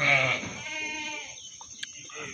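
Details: Meat goat at the Singosari livestock market, Malang, giving a loud quavering bleat that starts strong and trails off over about a second, followed by quiet market background and faint voices.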